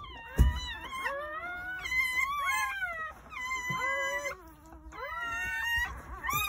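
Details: Newborn Jindo puppies crying on New Year's Day at a country house, during a litter of nine born between 8:30 am and 1 pm; overlapping high, wavering whines that rise and fall in drawn-out bursts, with a brief low thump near the start.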